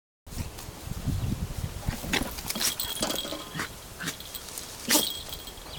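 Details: Dog sneezing boldly and theatrically after a puppy scratched its nose. Sharp explosive bursts come around the middle, and a loud final sneeze sounds near the end, amid snuffling and rustling.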